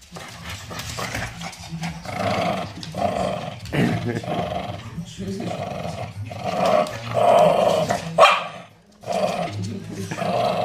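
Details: Shih Tzu growling in play, wanting to play with a toy crocodile while another dog does not join in; rough, rumbling growls come in bursts, with occasional short barks and human voices.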